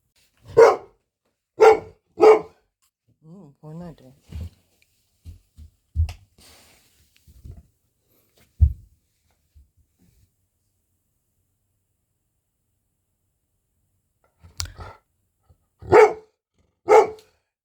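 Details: Golden Retriever barking during its lunchtime routine: three sharp, loud barks in quick succession, a pause filled with soft whining, a few thuds and quiet movement, then three more barks near the end.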